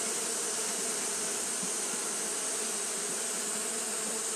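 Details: Fanning Japanese honey bees on a hot day give an unbroken low hum with a slight flutter. A steady high hiss runs throughout.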